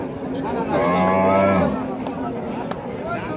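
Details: A farm cow, a reject dairy cow offered for meat, gives one long, deep, steady moo lasting about a second, with men talking about milk and the price before and after.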